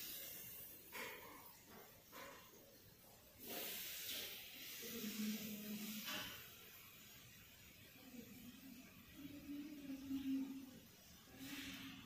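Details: ['Kitten shunned by its friends lets out short breathy hisses, the strongest near the middle and another later, among quiet pauses and faint low humming voices.']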